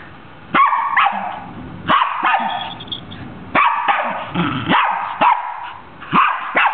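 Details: A Scottish Terrier "singing" to a Christmas carol. Irregular bouts of loud, rough barking come in clusters of two or three, with short pauses between groups.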